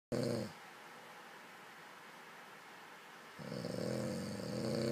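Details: Sleeping dog snoring indoors: a short rasping snore ends at the start, then a quiet pause of about three seconds before the next low, buzzy snore begins and builds steadily.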